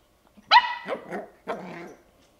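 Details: Ten-week-old Bichon Frise puppy wanting to play: a loud high yap trailing into rough, grumbly barking, then another hoarse, lower bark.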